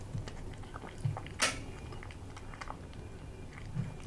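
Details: British Shorthair cat, indoors, eating crispy freeze-dried chicken breast from a new glass bowl. Soft, irregular crunching chews with one sharp, loud crack near the middle, in a quiet small room.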